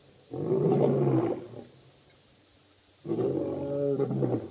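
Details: At the dam in Djuma Game Reserve, South Africa, the Birmingham Boys lions roar in August 2016: two heavy, rumbling roar bouts about two seconds apart, each lasting over a second, with quiet between them.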